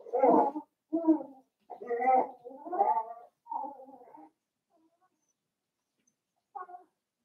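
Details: Seven-week-old Cavalier King Charles Spaniel puppies from Daisy's litter, kept in an indoor home puppy pen. Five short, tonal whimpering cries come in quick succession over about four seconds, then one brief whine follows after a quiet pause.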